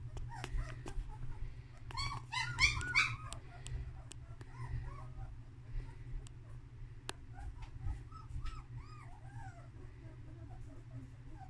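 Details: Two-week-old female German Shepherd puppy named Jaune (Yellow) whimpering indoors: a loud burst of squeaky, harmonic yelps near the start, then a string of short arched whines at moderate pitch, over steady low hum and occasional clicks and handling noise.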